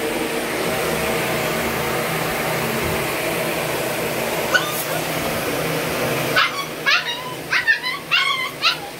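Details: Dog in Banka, Patna, Bihar. After about six seconds of steady background noise, there is a quick burst of six sharp, high yipping barks in close succession.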